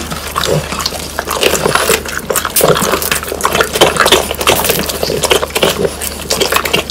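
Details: Crisp dried whole quail, bones included, is crunched by the French Bulldogs Pang, Kun and Ppo. A steady flurry of loud cracking bites and brittle snaps continues throughout, with moist chewing underneath.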